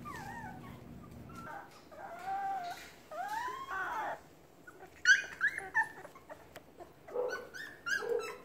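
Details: Penned puppies call out to their mother, who is close by, as if starving. Wavering whines swoop up and down, then higher, sharper yelps stack together near the end.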